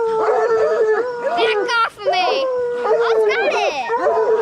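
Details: Coonhounds, bluetick and black and tan breeds, in training to hunt raccoons: steady drawn-out baying howls with strong harmonics, several voices overlapping, brief gap near two seconds before the howling resumes.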